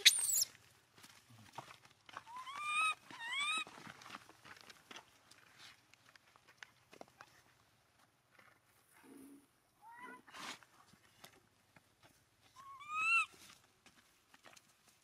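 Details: A poor abandoned monkey cries as it clings to its owner's feet, giving short upward-sweeping whimpers, sometimes two in quick succession, separated by long quiet gaps with soft shuffling sounds.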